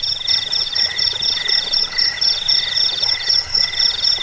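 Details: Chorus of crickets, sound meant to drive rats away, lull listeners to sleep and tutor cage birds: shrill pulsed trills layered at three pitches, each beating about four times a second, with no other sounds.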